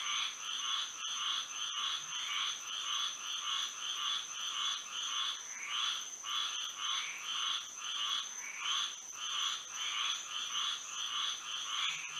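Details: Florida frogs singing at night in moonlight: a thick, pulsating chorus of raspy croaks keeps a brisk even beat, layered over a continuous high insect whine, with a few faint clicks.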